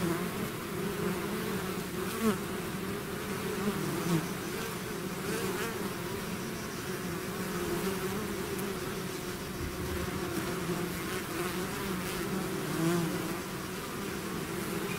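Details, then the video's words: Hive swarm of bees in full flight, an even blanket of buzzing with low humming tones and scattered sharper buzzes as single insects zip past. "bees therapy swarm natural buzzing sound"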